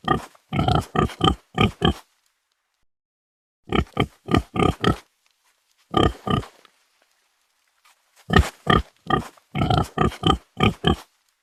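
A pig gives bursts of short, harsh grunting oinks, several in quick succession, then pauses.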